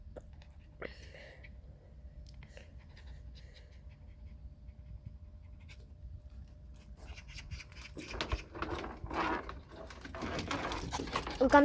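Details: A puppy at play pants in a soft, steady breathy rush that runs evenly for about eight seconds. It then gives way to louder rustling, scuffling noises toward the end.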